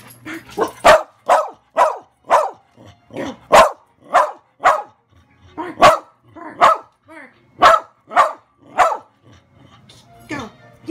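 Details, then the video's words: Pet dog barking excitedly on command after its owner comes home: a long run of loud, sharp barks, roughly two per second, with a few whining, wavering yips between them and a man's voice briefly heard. "Ty barking excitedly"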